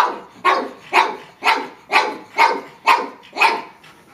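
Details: Pug barking at a watermelon, seven sharp, evenly spaced barks roughly every half second, loud and clear with little else in the background.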